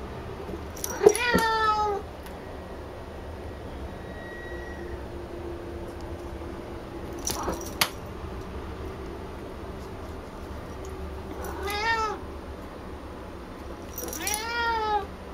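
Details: Picchi, a female house cat, calls excitedly at a ball rolled from her own brushed-out fur, a toy that makes her chatter. Three or four drawn-out, bending meows come at intervals, with brief clattering between them, indoors.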